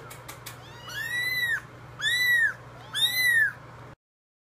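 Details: Starving foster kittens around three to four weeks old, bottle babies waiting in a tub for food, give three loud drawn-out arching meows about a second apart, over a faint low hum.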